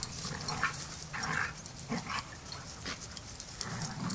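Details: Dogs at Border Collie Boot Camp as young pup Rammstein learns to get along with the pack: short yips and whimpering cries come in uneven bursts, roughly one per second, over a faint background hiss.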